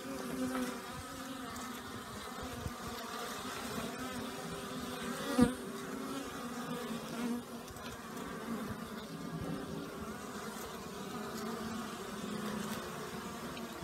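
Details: Honey bees out in numbers on a warm new-year day after a night of torrential rain, a dense steady buzzing hum from many insects with individual wingbeats passing close, a brief louder fly-by near the middle.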